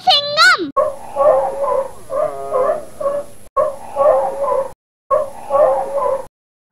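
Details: Sea lion barking: hoarse, honking barks in quick runs of three or four, repeated with short gaps, after a brief opening chime.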